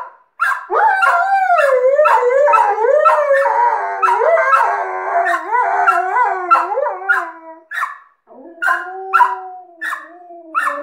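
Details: Howling session from an Alaskan Malamute and a second dog it taught to howl. Two voices weave in wavy, undulating tones, then a lower, steadier howl enters near the end alongside short yelps.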